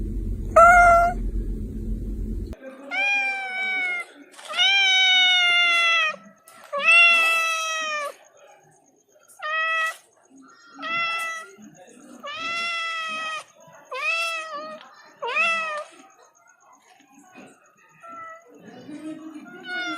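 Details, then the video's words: House cat giving a run of insistent meows, some short and some long and wavering, coming in quick bursts with brief pauses. A low rumbling noise is heard at the start, then quieter background. "The Ultimate Cat Meowing Compilation - Cute and Funny Cat Sounds for Everyone!"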